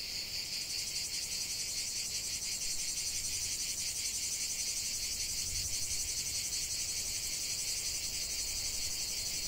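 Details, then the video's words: Lavender-field cicadas producing a bright, continuous high-pitched buzzing wall of sound, with only faint rhythmic throbbing beneath the steady drone. "chant de CIGALES au cœur d'un champ de lavande"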